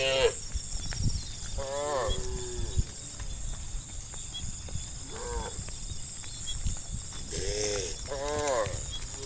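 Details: Hundreds of tame cattle moving as a herd through a village forest road; scattered short wavering moos every few seconds above continuous low trampling rumble and high background hiss.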